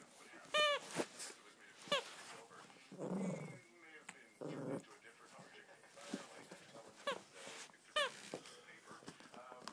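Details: Japanese Chin (Japanese Spaniel) waking up full of energy indoors: sharp, high yelps and squeaky whines in short bursts, with lower rumbling grumbles in between and some human speech.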